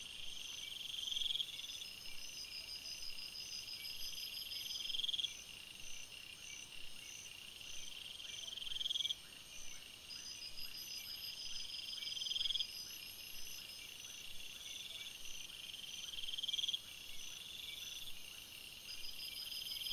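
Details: Crickets at night in a forest, many chirping together in a continuous shrill, buzzing wash of high trills, the loudness stepping up and down abruptly every few seconds.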